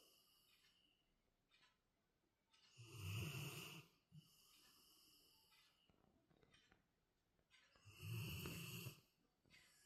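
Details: A Labrador Retriever snoring: two loud, broad, rasping snores about five seconds apart, each lasting roughly a second, with soft breathing and faint clicks in the quiet stretches between.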